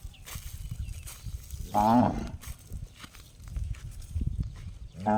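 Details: Cow giving an unusual gong-like call: a short harmonic-rich burst near the two-second mark, with another call starting at the end, over low rumbling background noise.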